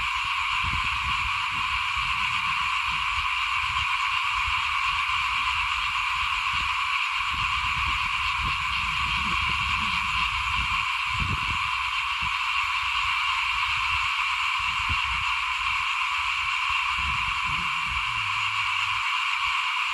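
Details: At rice sowing time in 2021, frogs call in front of a house in a thick, unbroken chorus, a constant high buzzing hum of countless overlapping callers, with intermittent low rumbling thuds beneath.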